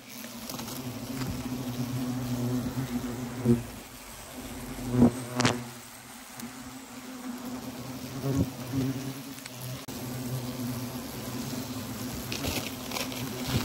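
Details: Wasps buzzing at a nest hidden in a tree trunk used as a pot stand, disturbed in early November; steady low droning hum with passing louder buzzes and knocks.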